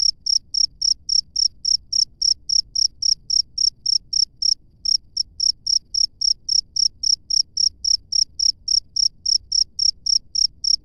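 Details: Cricket heard live from the wild, a rapid steady pulse of thin, high chirps about four per second over eleven seconds, one small break near the middle, against a quiet low hum.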